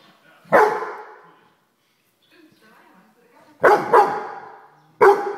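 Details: A Weimaraner dog barking at a house fly: a single sharp, loud bark, then after a quiet pause a quick double bark and one more bark near the end.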